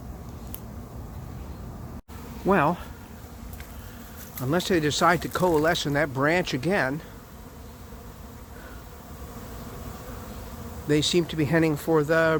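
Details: Late-season honey bee swarm settling into an empty hive not yet prepared; bursts of close buzzing bees wavering in pitch as they zip past, a dense cluster mid-way and another near the end, with softer background humming between.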